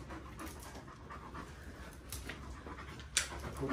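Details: Irish Wolfhounds, three males, out walking on a holiday trip to the lakes in steady rain; soft, breathy panting pulses in quick succession under a damp, noisy background, with a sharp knock near the end.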